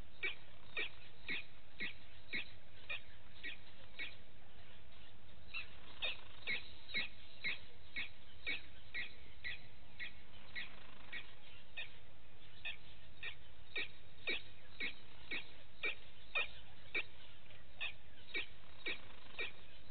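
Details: At Djuma Game Reserve's Gowrie dam in South Africa, vervet monkeys in the morning give a long, steady series of short clipped calls, roughly two each second, continuing throughout over a faint low hum.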